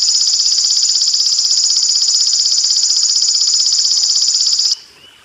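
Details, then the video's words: Golden grasshopper song, a clear recording combined with water sounds: a loud, high, shrill buzz pulsing about four times a second, steady for nearly five seconds, then stopping abruptly, leaving faint background noise. "BELALANG EMAS JERNIH KOMBINASI SUARA AIR"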